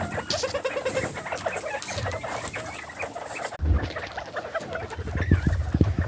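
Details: Farm-kept bobwhite quail on a homestead, contented after a feed of spring mix lettuce: dense overlapping soft clucks and chattering twitters, a few thin sliding whistles, with low thumps and rustling throughout.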